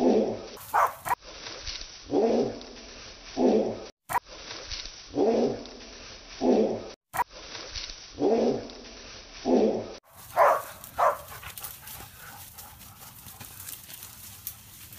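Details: Single-tone barking from Hebat, a six-month-old Korean hunting dog chasing wild boar on its first pest-control outing. Deep, even barks repeat in chopped sections, then a few higher barks fade out into quieter rustling.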